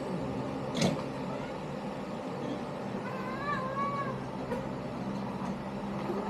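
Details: Kittens from Lini's litter give one short, high, arched meow with clear overtones near the middle, set against a steady low hum and background rumble.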